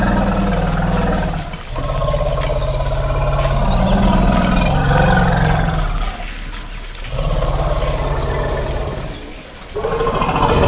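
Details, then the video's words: Long, low elephant rumbles with rich stacked overtones swell and fade in several bouts, separated by short dips, the deep droning tone dominating throughout. "Elephant Calling Sound"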